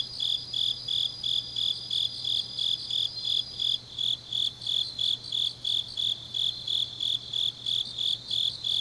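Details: Autumn night chorus of grass insects from Changnyeong in Gyeongnam, Korea: a steady train of bright chirps about three per second, joined by a second higher buzzing singer that fades midway, over a low constant hum.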